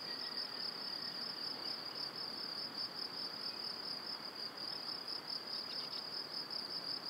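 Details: Spring evening crickets near cereal crops and pine woods at Wylatkowo, Powidz Landscape Park: a sustained piercing trill pulsing quickly and evenly throughout, several callers blending, a light hiss underneath.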